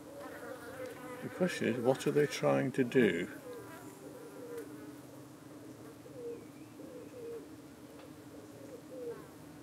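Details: Honey bees at a UK hive in the evening, defending themselves as parasitic flies dart in to settle on their abdomens; a steady low droning hum runs throughout, broken by a brief burst of human speech early on.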